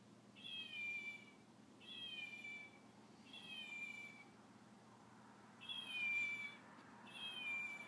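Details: A fox plays with a chow puppy, giving high, cat-like meows, each a short falling whine repeated every second or two.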